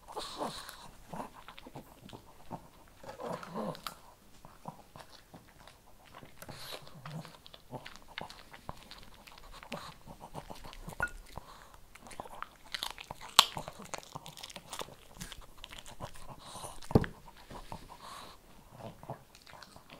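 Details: Shih Tzu eating kibble indoors, with irregular dry crunching and sharp biting clicks spread across the clip, a few louder snaps, and soft panting or breathing between bites.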